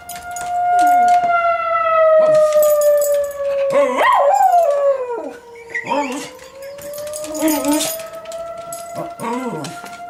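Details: Roscoe the Schnauzer joins a tornado siren test with several wavering howls over the long falling and rising siren tone, while a person calls his name.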